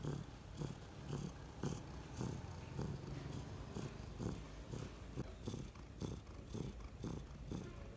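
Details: Sleeping domestic cat making a low, rough, rumbling purr-like snore, pulsing about twice per second, steady throughout, with faint background hiss.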